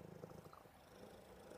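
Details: Purring from Buddy the cat as he cuddles and settles for a nap: soft, continuous low rumble with quick regular pulsing, quiet indoors.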